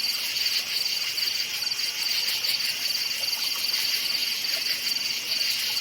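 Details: Crickets in a night forest chirp in a thick, high-pitched chorus, with rapid pulsed trills repeating throughout over a persistent shimmering drone.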